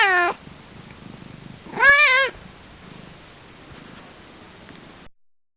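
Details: Pet cat, female, uttering groggy meows, sleepy grunt-like efforts heard in evenings and sometimes mornings: a short falling meow, then a louder wavering meow about two seconds later, with soft low rumbling between.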